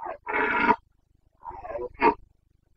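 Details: Carpathian red deer stag in the Bucovina mountains during the September 2022 rut (boncănit), 29 September; a loud harsh roar lasting about half a second, a brief opening grunt, then two shorter roars, set against quiet surroundings.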